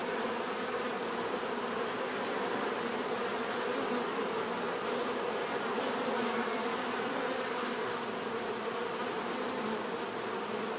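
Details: Bees buzzing in a dense, unbroken swarm drone, a steady mid-pitched hum with a slightly rough, shimmering texture that holds constant throughout, no other sounds.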